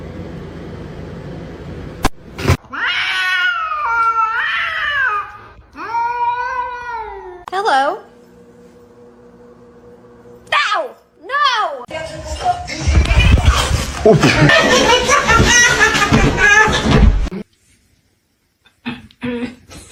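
A kitten gives a run of high, wavering meows, each rising then falling in pitch.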